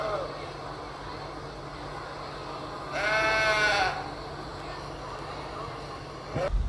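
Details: Sheep played back in a children's animal-sound guessing game at an online Sunday school; one wavering bleat of about a second stands out midway against a steady low hum, with a brief voice at the very end.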